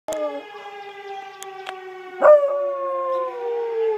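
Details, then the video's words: Bluetick Coonhound howling at sirens: a pet dog gives a sharp-onset howl that slides downward, layered over steady, evenly stacked siren tones that run through the whole recording. "Bluetick howling at sirens"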